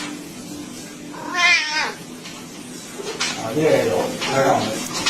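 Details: A house cat gives one clear, drawn-out meow that wavers and then drops away, followed by rougher, breathier vocal sounds and faint room noise.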